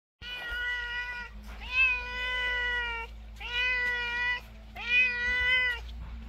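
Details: Talkative domestic cat meowing before a yoga class indoors: four long, steady, harmonic meows of about a second each, separated by brief pauses, with a faint low hum underneath.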